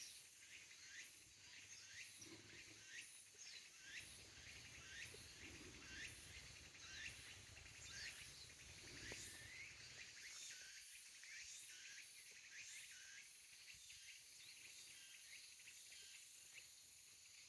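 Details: Tsukutsukuboshi cicada singing beside Koyama Pond, heard during a fixed-gear bicycle ride around the lake; short curved, rising-falling strokes repeat about once a second over a steady high hiss, with low rumbling noise underneath.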